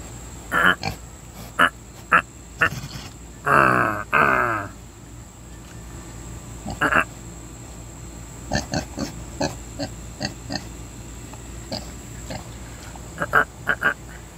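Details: Pet pig, a female, enjoying belly rubs; short grunts in scattered bursts, one longer rough grunting run near the fourth second, with quieter clicks and snorts later.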